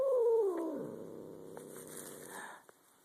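A cat gives a drawn-out, falling moan that sinks into a low, rumbling growl.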